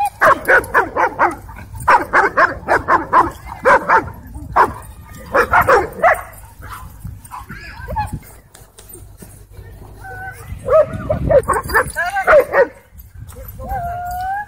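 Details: Aggressive dogs at a dog park during dogfights: harsh, broadband barks in rapid bursts for about six seconds, a quieter stretch, then higher yelping and whining cries; human voices mixed in.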